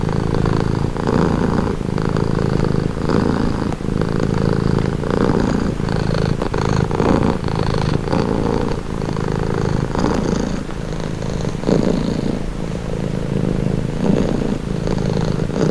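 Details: Close, continuous purring from a house cat, a low throbbing hum rising and falling with each breath about once per second, steady throughout; offered as a relaxing, calming sound.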